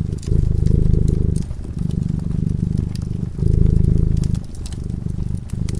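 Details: Deep purring from a cat asleep by the fireplace, loud rumbling bursts alternating with brief softer dips, accompanied by crisp crackling of the fire.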